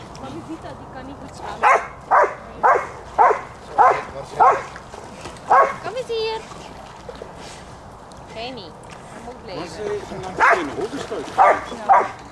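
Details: Border Collies at play in water bark in a steady run of seven roughly half a second apart, then go quiet before three more barks, with splashing and human voices behind.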